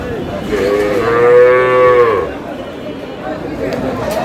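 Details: A dairy cow of improved breed with its calf at Aftabganj cattle market, Dinajpur, Bangladesh: a single steady, smooth moo of about a second and a half, with faint market noise before and after.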